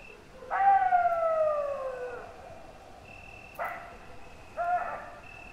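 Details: Wolf howling: a long smooth tone slides slowly downward for nearly two seconds, rich in stacked overtones, then two shorter, abrupt howl fragments follow; a thin steady high whine runs in the background.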